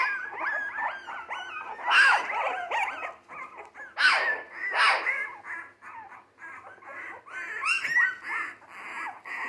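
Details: Jack Russell Terrier mix puppies, three weeks old and born 12/17/2020, on the move and eating well, whimper in tangled overlapping bursts of high, wavering cries, swelling loudest around the second, fourth and fifth seconds.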